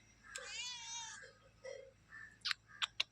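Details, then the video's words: Domestic cat giving a drawn-out, wavering meow lasting nearly a second, followed by softer short mews, a few sharp clicks and knocks, and a person speaking quietly nearby. "cat meowing"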